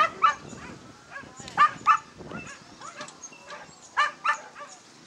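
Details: A Basenji at a lure coursing event gives short, sharp yips in quick pairs, with outdoor noise and faint voices behind.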